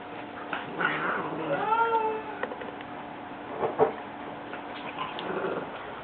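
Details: Indoor Siamese cat getting mad while a French Bulldog pesters her and will not let her rest; one drawn-out, wavering meow, with a man talking and scuffling sounds around it.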